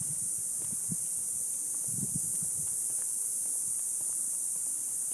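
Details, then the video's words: A continuous high buzzing roar from cicadas in an Ocotillo tree in the neighborhood just after sunset in summer heat, over soft footsteps and rustling. "Sounds of Cicadas"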